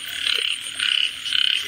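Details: Three short, buzzy frog croaks in quick succession, each a pulsed rattling burst about a quarter second long, over soft background hiss.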